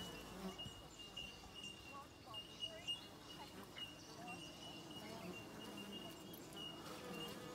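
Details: Buzzing of numerous Australian native bees at a hive in Australia: overlapping low drones rise and fall as individual bees pass close, over a persistent faint high steady tone.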